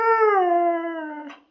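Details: Dog presented as a talking dog giving one drawn-out howl-like vocalisation: a smooth, clear tone sliding slightly downward over about one and a half seconds, ending in a short breathy rasp.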